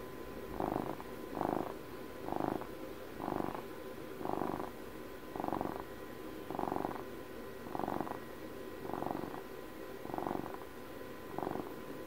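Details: Purring of a twelve-year-old house cat on its birthday, recorded up close: a rough, pulsing rumble that swells with each breath, about one surge per second, eleven even waves over the stretch against a quiet background.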